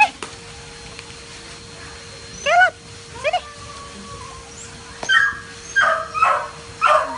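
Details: Poodle in training while swimming and playing, giving several short rising yips and whimpering squeals spaced over a few seconds, with a steady faint background tone and light room noise.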